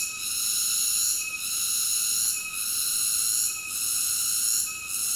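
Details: A cicada sings in a piercing, even, tonal hum, with faint regular dips about every second across a few seconds; no other noises.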